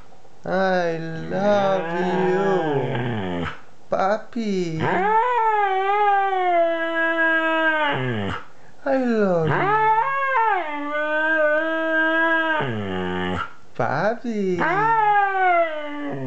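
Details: Two-year-old Siberian Husky 'talking', a run of drawn-out, rich harmonic howls and yowls that bend up and down in pitch, broken by brief pauses, some phrases wavering and sliding downward at their ends.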